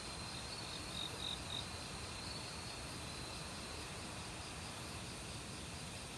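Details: Autumn crickets in a forest, mixed with various insects: a continuous high ringing trill, a brief burst of louder pulsed chirps early on, and the constant splash of a stream beneath.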